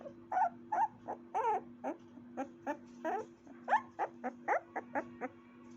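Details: Puppy yapping rapidly, with quick high-pitched yips and whimpering barks tumbling out several per second, some with a rising whiny tone, over a constant low hum.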